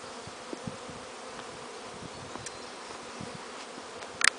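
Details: Many newly installed honey bees, from 12 cases of bees and queens, hum together in a soft, steady drone as they explore around their new hives, with a sharp knock at the end.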